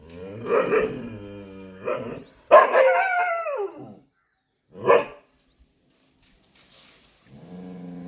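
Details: Chippiparai dog fighting monkeys, giving harsh, harmonic barks at irregular intervals, including a drawn-out bark that slides downward into a whine, followed by a short sharp bark and a lower, softer final call.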